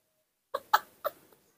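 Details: Newborn baby monkey Nomi, cared for at home, calling for its mother: three short, bright, harmonic squeaks in quick succession, the second loudest, followed by a faint fourth, in an otherwise quiet room.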